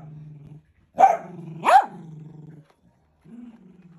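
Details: Sausage dog kept as a pet growling steadily, breaking into two loud barks, the second rising in pitch, then settling back into a softer low growl.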